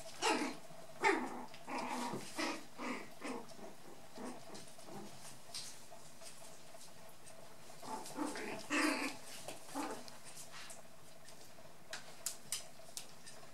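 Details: White dwarf and toy poodle puppies, four and a half weeks old, playing with a brown female dwarf poodle. Irregular bursts of small growls, grunts and whimpers over about thirteen seconds, with brief pauses and light patter of movement.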